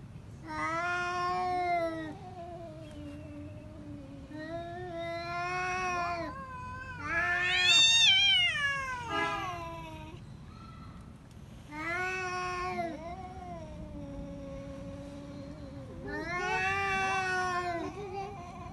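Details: Pet cats in a fight at home: repeated long, loud, wavering yowls in bursts every few seconds, some rising into harsh shrieking screams, with quieter drawn-out moans between outbursts.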